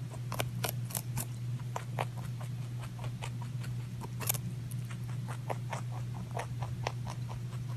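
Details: Pet rabbit eating, irregular sharp crunching ticks and bites spaced unevenly over a steady low electrical hum.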